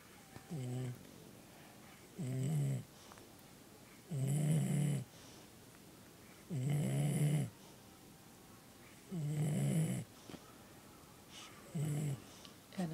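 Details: Sadie, a pet dog, snoring indoors: six deep, rumbling snores at roughly two-second intervals, each a low throaty burst with faint higher overtones, quiet room between breaths.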